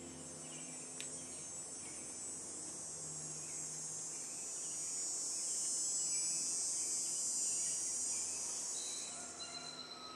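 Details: Insect calling from a tree: a continuous, very high-pitched shrill buzz that holds steady, swells louder through the middle and fades near the end, with a faint low hum beneath.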